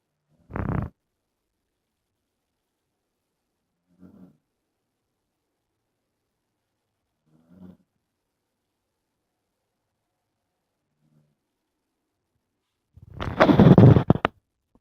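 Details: Sleeping dog snoring louder after dozing off again. Brief, breathy snorts come at intervals of about three seconds, the first and last much stronger, and the final one is a long harsh rasp. Silence fills the gaps.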